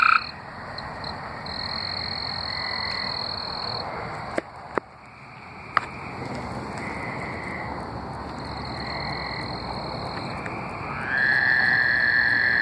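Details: Tree frogs singing in Arkansas, mostly distant: softer buzzy trills rise and fall through the background, a few clicks midway, then one nearby frog breaks in with a loud, steady trill at the close.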